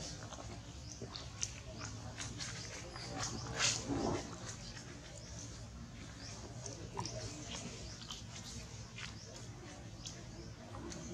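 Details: Little monkey named Button screaming and crying in pain, frightening another monkey, Blacki; one loud sweeping cry drops steeply from high to low pitch around the middle, amid steady background noise and scattered clicks and rustles.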